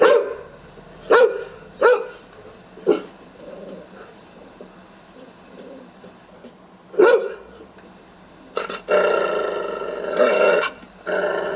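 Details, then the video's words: A guard dog barks to drive off intruders: sharp, separate deep barks early on, then a lull with soft huffs before a sustained, rough, growling bark run near the end. "Decoy Guard Dog Barking to Scare Away Intruders"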